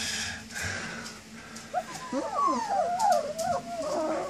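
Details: Young German Shepherd puppies, 19 days old, whine for their mother; after a quieter opening, a run of thin wavering whimpers and squeals begins and grows busier, several pups calling over one another.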